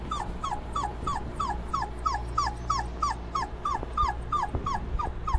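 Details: Dobermann puppies cooling off give a steady run of short high whimpers falling in pitch, about three every second, over a low constant hum.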